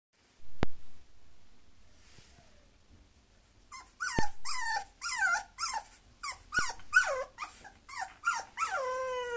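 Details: Bulloxer mixed-breed dog giving a run of high, falling whines and yelps, rapid and repeated after a quiet start, ending in a longer tonal whine.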